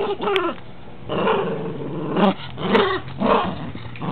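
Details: Rough toy play draws low, gargling growls from Rambo, a pet dog. The grumbling comes in three or four swelling bursts separated by quieter stretches, with a few sharp knocks from the toys.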